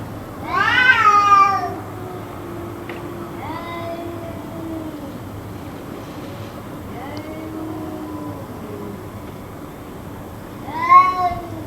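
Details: Cat calling on and off through a long two-hour stretch: a loud arched wail opens, softer drawn-out cries follow in the middle, and another sharp wail closes, with a low rumbling background.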